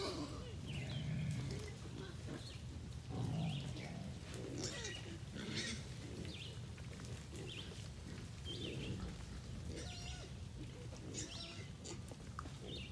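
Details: Feral hogs, a big boar among them, gathered at feeding time, growling toward the recorder; low rumbling growls repeat about every two seconds over a steady noisy background with scattered higher squeaks and chirps.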